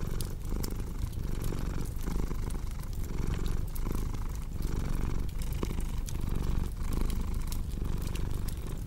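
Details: Relaxing purr of a domestic cat set against fireplace crackle: a dense rumbling drone swelling on each breath about every 0.7 seconds, dotted with quick clicking pops from the fire.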